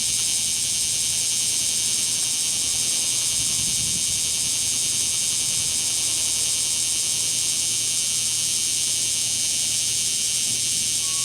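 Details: Kumazemi cicada chorus of singing males in Fukuoka City, Fukuoka Prefecture, Japan, on 11 July 2022; an unbroken, intense, high-pitched metallic whine fills the whole stretch without audible pulses.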